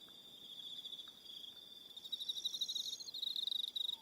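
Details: Crickets in the evening on Aroha Island, New Zealand: a soft high trill swells louder after two seconds into rapid pulsed chirping, with extra higher buzzy notes layered on top.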